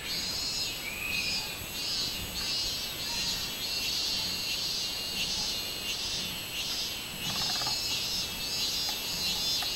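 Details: Robust cicada singing, recorded on 24 July 2016: a high, buzzy droning pulsed into a steady run of throbbing beats, roughly one and a half per second, over a constant shrill insect background.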